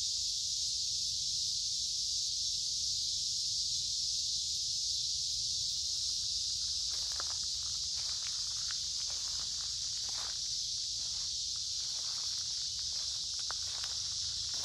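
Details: Cicadas chorus loudly along a woodland creek in the middle of summer on a warm, humid day. A constant high, shimmering drone fills the air, and footsteps and rustling leaves join in from about six seconds on.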